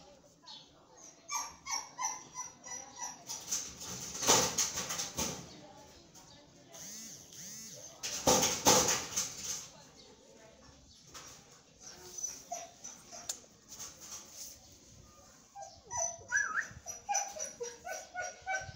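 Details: 23-day-old Belgian Malinois puppies, tired, give thin, high whines and squeaky whimpers while a person talks softly.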